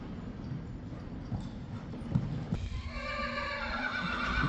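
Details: Friesian horse in an arena, one of the last two foals being weaned at Stal G, kept together. Soft hoof clopping gives way to a loud, sustained whinny with rich layered overtones filling the final two seconds.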